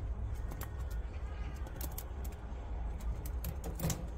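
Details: Pet prairie dog chewing grass, with repeated snappy crunches and tearing clicks throughout and a louder burst near the end, all above a deep, steady background rumble.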